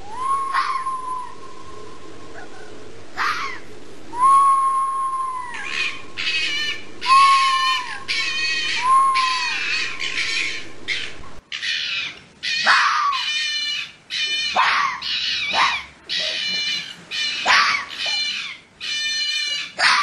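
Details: Fox vocalising during the mating season, calling out to others: several clear arched whines rising then dropping, followed by a long, dense run of rough, rasping bursts repeated rapidly with short gaps.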